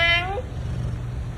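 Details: Charlie, a pet cat, unhappy this morning and sulking with his owner, gives a short bright meow that falls in pitch within under half a second, followed by steady low background hum.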